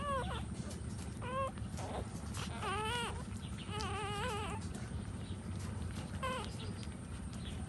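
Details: Puppies nursing from their standing mother dog: a series of high, whiny whimpers with rising and falling tones, several drawn out and wavering, others short and clipped, over a steady low rumble of background noise.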